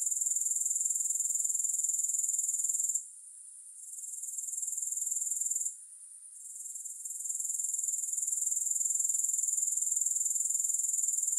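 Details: Grasshoppers trilling in a thin, very high continuous pulse, broken by two short silent gaps before the steady chorus resumes and holds, with no music behind it.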